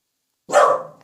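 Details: Single loud bark from a house Welsh Corgi that grows brave with family beside it, as its owner coaxes it to quiet down; abrupt, full-bodied woof fading quickly, followed by the owner's voice.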